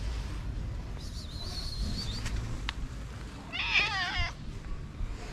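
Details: Stray calico street cat with a black spot on the nose, fed outdoors in Morocco: a thin high whine, then one loud, wavering, drawn-out meow over steady background street noise.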